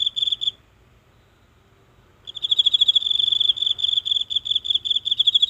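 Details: One insect in the grass of a small garden, singing each night, recorded nearby by phone in the silent dark. A short high chirping burst, a pause of nearly two seconds, then steady rapid pulsed chirping resumes.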